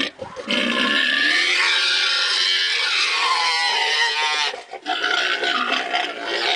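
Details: Harsh, rasping screams from wild boar kept at Wildpark Peter und Paul in St. Gallen, Switzerland. Squealing runs almost unbroken for about four seconds, breaks off briefly, then starts again just as loud.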